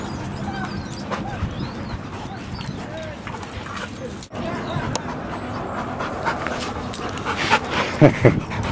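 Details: Two dogs playing at Seal Point Dog Park on the western side of San Francisco Bay on March 5, 2015. Steady panting is followed by a few short high whimpers near the end, with people talking and birds whistling in the background.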